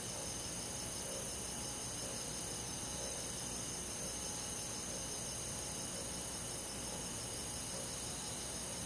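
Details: Summer-night crickets with forest insects: continuous high, ringing trills stacked in several bands, gently swelling and fading in slow waves over a soft low hum.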